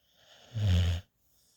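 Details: A female puppy, worn out after a busy day running outside in the snow, sleeps in a lap and gives a single low, rumbling snore lasting about half a second.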